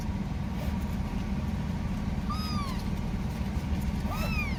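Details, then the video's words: Kitten calling for its mother: two thin, high mews, each arching up then falling, under a steady low rumble of background noise. "THE SOUND OF A BABY CAT CALLING ITS MOTHER"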